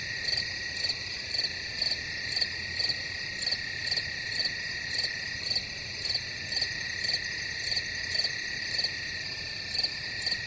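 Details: Chorus of crickets with an unbroken shrill high trill beneath evenly spaced bright chirps, roughly two each second, repeating steadily without pause.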